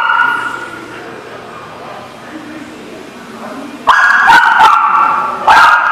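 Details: Dog barking, recorded on 3/9/20: a quiet muffled stretch, then loud sharp barks in a rapid cluster near the end, with a final bark after a short gap.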